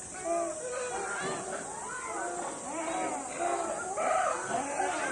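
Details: Monkeys at a zoo at lunch time, calling as the keeper gets closer: many overlapping squealing, arched harmonic calls and chatter, some rising then falling, tumbling over one another without pause, over a steady high hiss.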